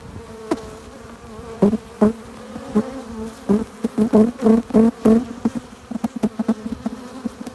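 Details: Honey bees at a hive entrance, flying in with pollen and nectar. Close passing bees give loud buzzy drones that swell and fade in short bursts, roughly a dozen in quick succession, over a low continuous hive hum.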